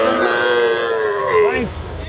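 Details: Long, loud moo from small cattle at a Setabganj market in Dinajpur, Bangladesh, 4 September 2024, bought for a Raozan farmer: a rich, steady lowing tone that bends downward near the end, then fades under low background noise.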